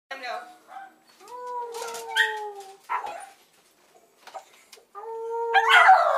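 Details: Dog vocalizing while being bathed in a utility sink, described as singing: long, steady howling tones held about a second each, with splashing and short human voice sounds between them.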